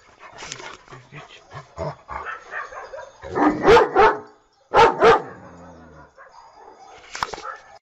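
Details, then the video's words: Domestic dog barking in a funny compilation: several softer, shorter yips and barks early on, then two pairs of loud, sharp barks around the middle, with a final bark near the end and quieter gaps between. "Funny dog barking videos compilation"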